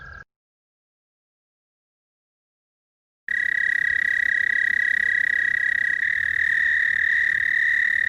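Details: An American toad in Wisconsin gives a long, steady, high musical trill, its spring breeding call.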